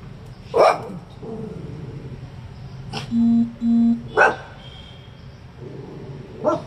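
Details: Coton de Tulear, a small pet dog, barking at passers-by and ignoring commands; a few sharp, separate barks spaced about a second or more apart, with steady tonal beeps midway and background hum.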